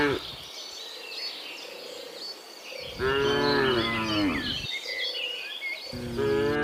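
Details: Cattle driven to their pen low with a short moo at the start, a longer wavering moo mid-clip and another at the end, over busy background birdsong.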